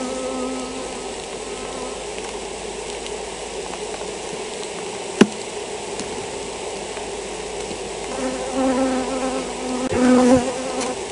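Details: European foulbrood-stricken honey bee colony: a constant hive drone that swells in the last few seconds as bees buzz closer, with a single sharp knock midway.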